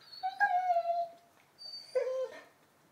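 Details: Young Labrador Retriever, 11 months old, playing indoors with a new ball, gives two tonal whines: a steady high whine sliding slightly down, a short gap, then a shorter, lower whine with a sharp onset.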